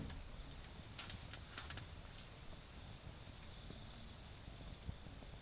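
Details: A continuous high, even insect trill on an autumn night in a garden where a bonfire burns, fire crackles clustering in the first two seconds, faint low hum below.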